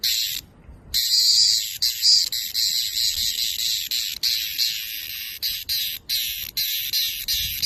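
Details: Screaming cicada: loud, harsh, continuous high buzz in rapid pulsing bursts, broken by short gaps, with a brief silence near the start.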